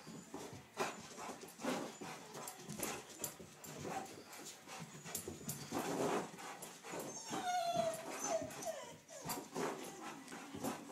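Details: Sammy, a pet dog, chasing a flashlight beam on a wall: quick scrabbling and thumping of paws throughout, then a high, wavering whine that rises and falls before the scuffling resumes.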